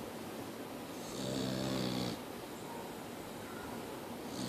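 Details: Snoring from Mia the Boxer: a single softer, drawn-out snore of low buzzing tones with a faint airy hiss above, set against a steady background murmur indoors.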